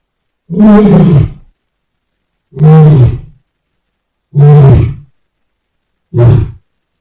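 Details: Lion giving four deep, heavy grunts spaced about two seconds apart, each short and throaty, with silence between them.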